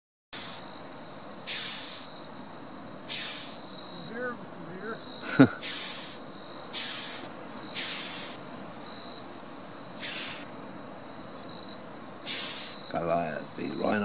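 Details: Rhinoceros beetle at Etty Bay, Queensland, Australia, giving short bursts of harsh, breathy hissing about every one and a half to two seconds, over a faint steady whine, with brief human voices between bursts.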